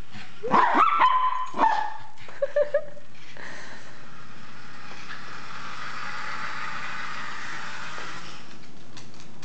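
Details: Miniature Pinscher named Zeus, frightened by a remote-control car: a quick cluster of sharp, high yelping barks in the first three seconds, then a steady whirring motor hum from the toy car for the rest.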